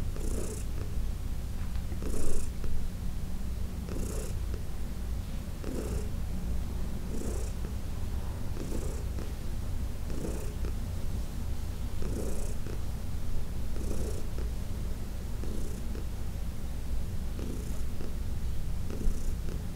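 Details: Heidi, a senior domestic cat adopted from the Humane Society of New York City, purring during a massage on June 17, 2021; a steady deep rumble runs throughout, with soft swishing bursts roughly every two seconds.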